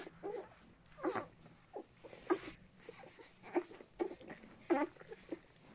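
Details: Puppies of the dogs Walking and Cartoon making short, breathy whimpers and soft squeaks in irregular bursts, roughly one each second, some louder than others, over a quiet background.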